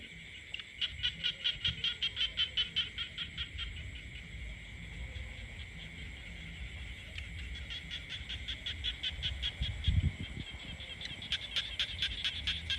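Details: In the rural countryside, frogs call in bursts of quick, high, rattling pulses that start, pause and resume, over a continuous high droning background and occasional low thuds.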